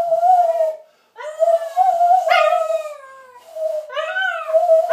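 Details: Pet dog singing along with a person, steady mid-pitched howls with rich overtones, held notes that bend upward at their starts, broken by brief pauses between phrases.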